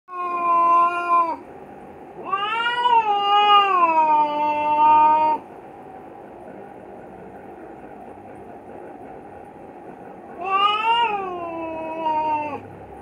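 A male Himalayan cat in heat gives long, drawn-out yowling mating calls, rising then sliding down.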